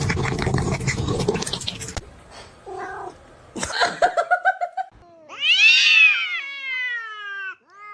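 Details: Cat from a kittens compilation, first rustling and brief voice-like sounds, then a loud high-pitched meow that rises, peaks and trails off smoothly before ending abruptly.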